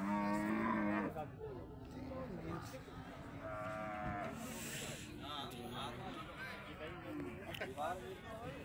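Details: Heavyweight Holstein Friesian bull, about one ton, shown for the first time at a cattle market; a loud low moo opens, then fainter lowing and harmonic calls over steady crowd chatter.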